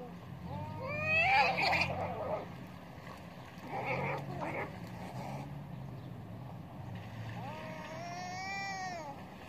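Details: Cats in a fierce fight: drawn-out, wavering, harmonic yowls rise and fall near the start and again at the end, with a harsh noisy burst around four seconds, all over a steady low rumble.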